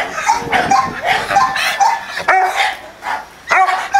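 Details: A pair of Dobermann Pinschers at a kennel in Arnos Vale, St. Vincent and the Grenadines, giving dense, overlapping harsh barks and yelps in quick bursts, with brief pauses near the end.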